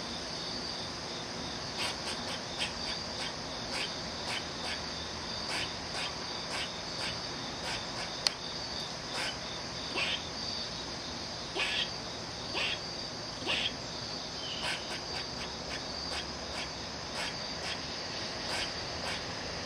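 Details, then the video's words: Angry squirrel giving short, harsh, broadband bursts repeated irregularly, roughly every second, sometimes in quick pairs, over a steady high insect drone that runs throughout. "Angry Squirrel making a weird sound"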